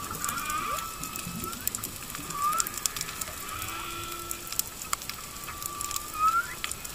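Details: Underwater at the reef at Makena Landing, Maui, among goatfish and bigeye scads, whales sing long tonal moans with rising upsweeps over steady crackling reef noise.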